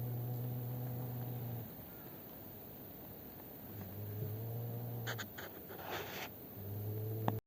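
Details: Two cats, a black-and-white one and Maron, fighting near a home on 12 December 2025; low, sustained droning yowls in bursts, with a rustling noise and a sharp click near the end.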